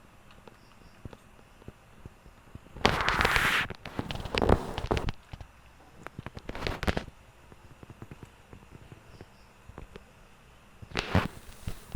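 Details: Loud crackling, rustling bursts around three to four seconds in, again near seven and eleven seconds, over a quiet background; no animal voice is heard.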